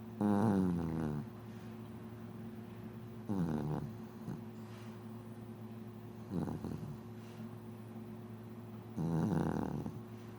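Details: A mixed-breed female dog born on 25 December 2004 snoring indoors: four deep, rasping snore bursts, each about a second long, spaced roughly three seconds apart, with quiet breathing between.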